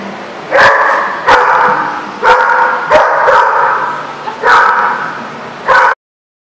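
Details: Dog barking in Rhode Island, recorded 17 February 2014: a run of loud, harsh barks, single and in quick pairs, spaced roughly every second, over a steady background hum that cuts out abruptly at the end.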